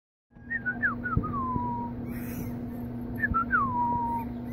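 A fennec fox gives two thin, whistled whines that step and then slide downward.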